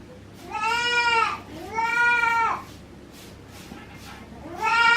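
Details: Bleating at a Japanese goat farm in Himi, 9 March 2019, around a first-time mixed-breed mother goat and her newborn kid: two strong, buzzy, harmonic bleats about a second apart, a third beginning at the end, quiet barn background.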